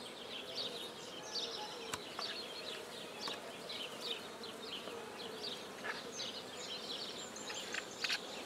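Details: Black bees at a newly started apiary in Guernay, Côtes-du-Nord, France, as a hive is set up: a steady, high buzzing swarm sound with many overlapping short whining passes of flying bees and a few sharp clicks.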